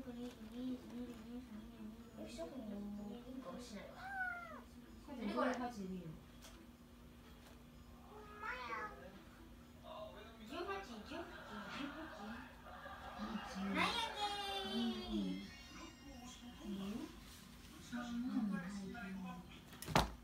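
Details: A clever kitten named Oiro, which takes itself to the litter box right after eating, gives several high, arching meows that bend up and down, mixed with ongoing human talk and some household noise.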